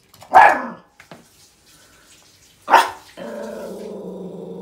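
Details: Yorkshire Terrier puppy, female and almost 11 months old, angrily warning at something on the other side of a door: two loud barks a couple of seconds apart, followed by a steady low growl.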